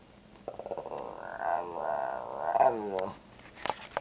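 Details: Shih Tzu named Chona "says" grandma: a continuous throaty growl-moan lasting over two seconds, rising and dipping in three swells like spoken syllables, ending in a falling slur.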